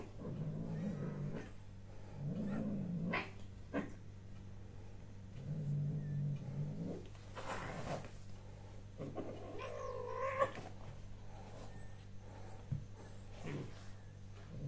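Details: A domestic cat, recorded on 6 March 2024, gives a bending, wavering meow among rustling and low murmuring sounds. A constant low mechanical hum continues throughout.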